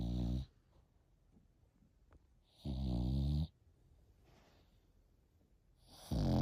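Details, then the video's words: Snoring of an 8-month-old French Bulldog: low, rumbling harmonic snores lasting under a second, separated by quiet pauses of about two seconds, three bursts in all. "8 months old Frenchie |Snoring"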